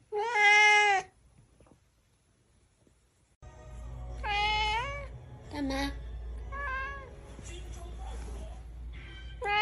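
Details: Domestic cat, said to be angry, meowing repeatedly: a long loud meow, a pause, then several wavering and shorter meows with a woman speaking Chinese softly in between, over a low indoor hum.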